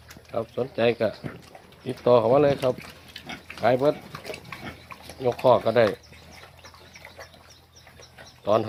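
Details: Ten-day-old hybrid wild boar piglets squealing in high, wavering, tremulous bursts of half a second to a second, about five bursts over nine seconds, separated by quieter gaps with faint background noise.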